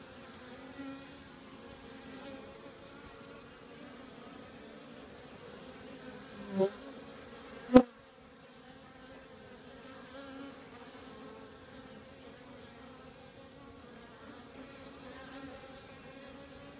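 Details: Honey bees at an active hive on a warmer January day in 2015, a steady soft droning hum throughout, with two brief sharp knocks near the middle.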